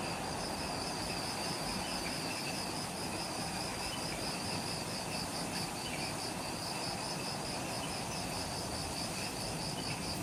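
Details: Insects in the jungle of Ishigaki Island, Okinawa, Japan, at twilight just after sunset: a dense, steady chorus of high pulsing trills and a continuous shrill hiss, with a broad low rumble of background noise throughout.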